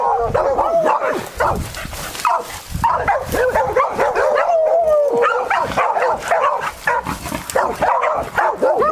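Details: Beagles working on a wild boar trail give tongue in long, wavering, overlapping howls and yelps.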